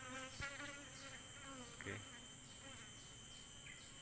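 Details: Asian honey bees (Apis cerana), a colony found inside a rotten avocado tree, giving a steady droning buzz with a low humming tone. Faint voices and a constant high electronic whine sit in the background.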